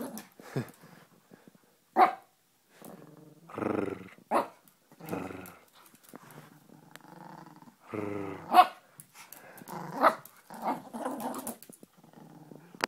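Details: Brussels Griffon tearing up a sock indoors, playfully ferocious; rough, rumbling growls broken by short, sharp barks and snarls in irregular bursts, with a few pauses between.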